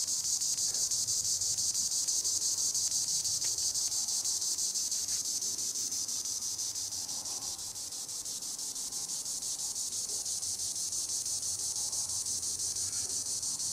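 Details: From the treetops, a green annual cicada (Tibicen linnei) delivers a continuous shrill, rasping drone, slightly pulsed and even in loudness, dipping briefly midway before swelling again.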